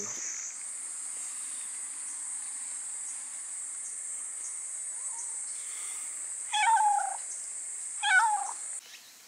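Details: Young cat at a forest gazebo by Tamano Utaki shrine, among slim young black and brown tabby cats that came out of a bamboo thicket. Two clear, drawn-out meows about a second and a half apart near the end, over a steady, loud cicada drone.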